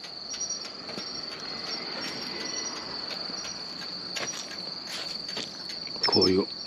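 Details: On a roadside at night on 13 October, a male pine cricket sings short, bright, high chirps over a steady ringing chorus of night insects.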